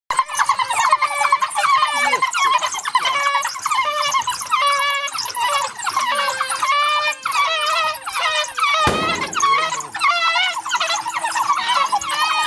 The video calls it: Crying African Wild Dog